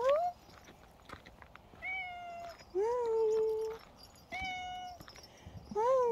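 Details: A very dog-like pet cat meowing: five drawn-out, tonal meows, some rising then holding level, spaced about a second or more apart, with faint background clatter.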